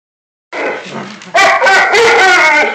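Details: Alaskan Malamute 'talking', recorded on a phone: a soft, wavering vocal starts the clip, then a loud, rich, harmonic howl-like moan that holds and bends slightly in pitch to the end.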